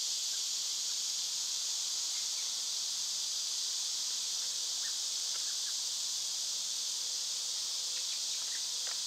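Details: Loud summertime cicada chorus: a dense, even buzzing wash high in pitch that never pauses, while soft, scattered bird notes and small ticks surface now and then below it.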